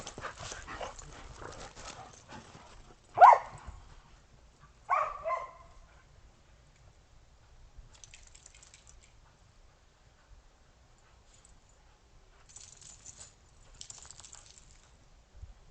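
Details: Dogs, Australian Shepherds and a Boston Terrier, playing in snow after a snow storm on 12.15.2022 before breakfast; two short, sharp barks sound about two seconds apart amid soft rustling and scuffling.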